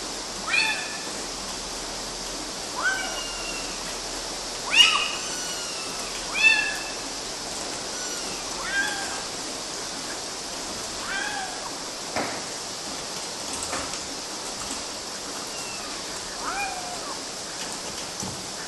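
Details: Repeated thin kitten meows, about a dozen, louder early then fading to faint squeaks, irregularly spaced amid steady hiss; kittens climbing on mosquito nets somewhere in Galati, Romania, June 2012.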